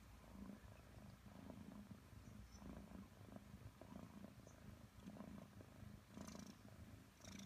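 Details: Five-month-old Maine Coon Nelson purrs while cuddling with his owner, a continuous low throbbing purr in regular in-out pulses, with light high-pitched rustles near the end.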